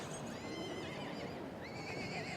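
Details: Welsh Cobs, barren mare or gelding aged eight and over: a high whinny with shaky harmonic stripes that sweeps down across the first second, then a second rising-and-falling whinny near the end, over a steady low rumble of background noise.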